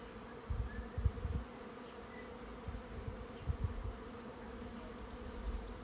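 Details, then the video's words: Swarming honey bees entering a trap, giving a continuous low hum broken by short thumping low bursts every second or so. "Bee swarm moving into trap"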